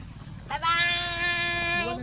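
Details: Little hungry monkey crying to request food from the cameraman: one sustained, harmonically rich wailing cry of almost one and a half seconds, steady in pitch and rising slightly at the end, with a woman's voice speaking nearby.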